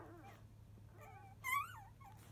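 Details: Labrador Retriever puppy aged five days, fussing at the start of nursing after one o'clock in the afternoon. Short high whimpers slide up and down, ending in one louder squeal.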